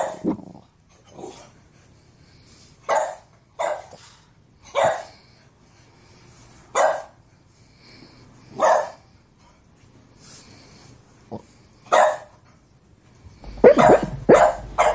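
A Boston Terrier barks in short, sharp single woofs spaced about a second or two apart.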